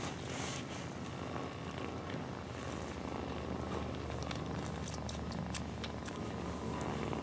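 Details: Cat mother purring while kittens snuggle up to nurse: a deep, dense, rhythmic rumble with strong low buzz, plus a few soft ticking and rustling sounds.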